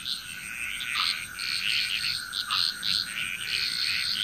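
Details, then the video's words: A dense frog chorus in Bali, Indonesia: overlapping high, pulsing trills and chirps that swell and fade continuously. "Frog Chrous Relaxing Nature Sounds of Bali, Indonesia"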